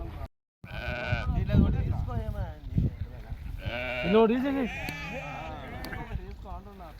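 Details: Several bleats from a farm flock of 66 sheep and 22 lambs: brief nasal cries rising and falling, one strong quavering call midway, mixed with steady Telugu conversation and background murmur.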